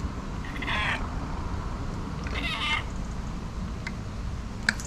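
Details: Two short, rising-then-falling meows from a fluffy Persian cat greeting its owner on arrival, wet after rain, with a tuxedo cat friend nearby, over a low background rumble.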